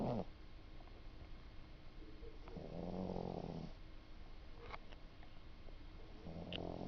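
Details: A pet cat snoring at home, slow soft low rumbling breaths swelling and fading every few seconds in a quiet indoor room.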